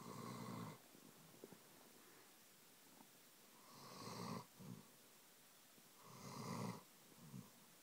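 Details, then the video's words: A year-and-a-half-old German Shepherd named Saint snores while asleep on a lap indoors, three long rasping breaths roughly every three seconds, each with a shorter grunt after it, quiet between. "Saint snoring"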